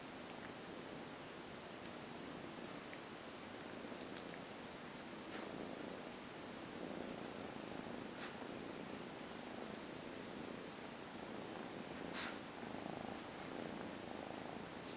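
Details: Mother cat purring while she nurses her kittens indoors: a soft, steady, low rumbling purr running without a break for the whole stretch, swelling slightly at times, with faint scattered clicks and rustles.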